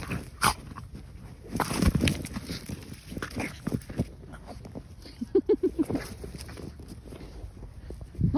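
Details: French Bulldog Margo, worked up over a trophy ball found on a walk, makes a string of quick snorting grunts and huffs with one sharp yap near the start, footsteps and rustling around her outdoors.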